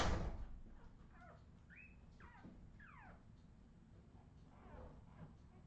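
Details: Australian Terrier puppies from a Redwing litter, 2018, giving several short high squeaky whines that sweep up and down, scattered over a few seconds after a loud knock at the start, with soft background shuffling.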